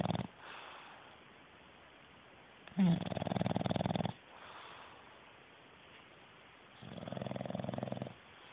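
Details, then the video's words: Sleeping male English bulldog snoring hard: two long rattling snorts, each over a second, with a soft wheezy breath between, the first one loud and harsh, the second steadier and quieter. "Knocked Out English Bulldog... snoring"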